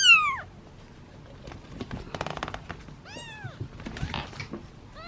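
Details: Kittens from a litter of seven waiting in a basket at feeding time, meowing from hunger and impatience; three loud arched meows, one falling at the start, one rising then falling mid-way, one beginning at the end, with rustling and knocks between.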